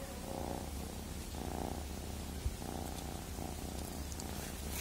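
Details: Close, rhythmic cat purr, its rumble swelling and easing with each breath about every second and a quarter.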